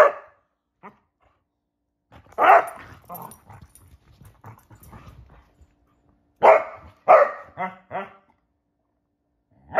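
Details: Basset Hounds at play in a game of hide and seek give loud single barks separated by pauses, with softer grumbling noises between them.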